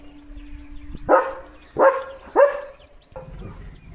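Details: Leo the German Shepherd gives three short barks with a ringing tonal tail, about half a second apart, then a softer trailing sound; a steady low hum underlies the start.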